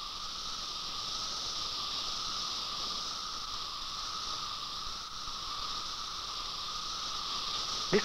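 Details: Male periodical cicadas chorus in unison as their mating call, a steady, dense, hissing drone with a fainter whining band beneath, sung after emergence while mating begins.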